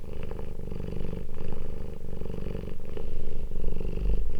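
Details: Short stretch of close, loud cat purring during a family reunion after two weeks apart, a throbbing rumble swelling and easing in regular waves.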